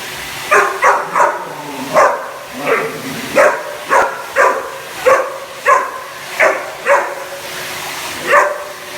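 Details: Cane Corso barking in reaction to a hoover: a fast series of about eleven sharp, loud barks, spaced roughly every half to one second, with a steady low background hum.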